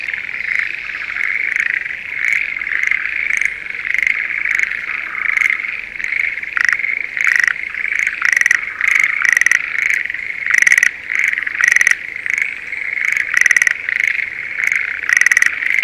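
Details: Schlegel's green tree frogs at breeding time in a spring rice paddy near Sendai, Japan: a dense chorus of short rattling, pulsed trills, bursts roughly every half second over a steady high background drone.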